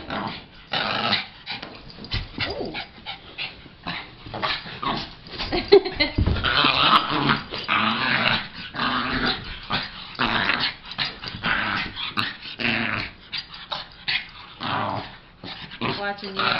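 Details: Lhasa named Logan playing with another dog, Penny, indoors: rough, throaty growls and snarls come in bursts throughout, broken by short pauses and a few sharp yips, with scuffling between bouts.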